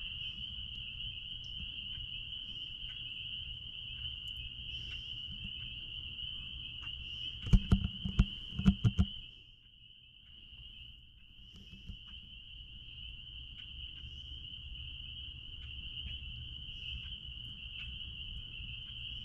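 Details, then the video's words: Steady shrill chorus of spring peepers out back at a blueberry farm, overlapping high peeps fused into one sustained tone; a burst of loud clicks and knocks interrupts midway, then the chorus carries on over faint low noise. "Peepers sounds out back at Blueberry farm"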